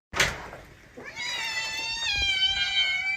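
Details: Domestic cat from a funny cat compilation giving a long drawn-out meow, a high harmonic-rich tone holding steady for about two seconds after a short thump at the start.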